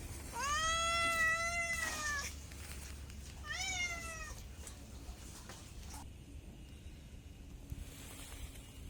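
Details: A domestic cat lets out two meows, a long arching cry followed by a shorter falling one, then only quiet background noise for the remaining seconds.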